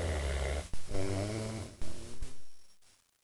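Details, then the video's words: A big dog named Bruce snores while napping indoors: low, rumbling harmonic drones on each breath, one long pull followed by shorter snorts, then the sound fades into quiet. "Bruce Snoring"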